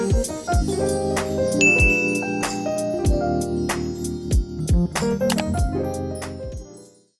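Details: A chiming keyboard melody with bell-like notes and low sustained tones plays, then fades to silence, with no animal sound.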